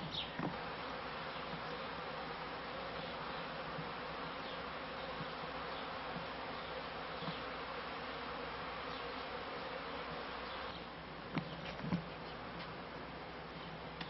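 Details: Honey bees kept by a beekeeper, filmed at the end of the 1995 season: a steady, droning hum of low tones runs throughout, with a few sharp clicks and knocks near the end.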